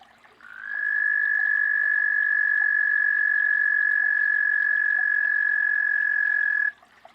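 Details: A frog calling: one long, steady, high trill held at an even pitch for about six seconds, starting and stopping abruptly, over a quiet background.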